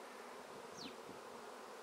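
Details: Honey bee swarm hanging in a tree, being taken into a swarm basket with top bars laid over it, bees fanning; dense steady humming drone throughout, with a brief high sweeping whine passing overhead.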